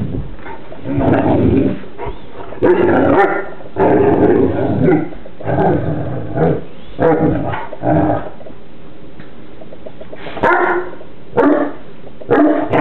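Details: Playful wrestle between two Newfoundland siblings, Burley and Miss Priss; repeated loud rough growls and gruff woofs in bursts of one to two seconds, with short yips and pauses between.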